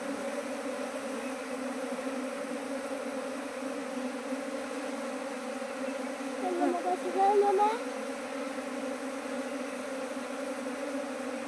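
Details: Domestic honey bees hum around hives in Nepal, where a keeper expanded from a single colony to nineteen within two months; the drone stays continuous while a brief higher squeak and a slight swell rise midway.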